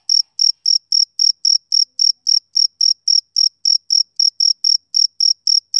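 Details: Steady chirps from a male cricket, loud and high, repeated evenly about four times per second with no pauses and a clean, quiet background.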